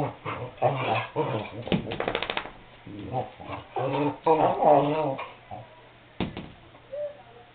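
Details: Cardigan Welsh Corgi, a male dog, barking and whining because he wants to go outside; a run of short, uneven barks mixed with whimpering yelps, broken by brief pauses, ending with a single sharp bark and a soft whine.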